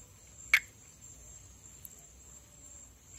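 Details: Pithecopus nordestinus, the Brazilian-endemic perereca-macaco tree frog of northeastern Brazil, filmed calling and in amplexus on foliage above water; two short sharp clicking notes about 2.7 seconds apart over a steady high electronic whine.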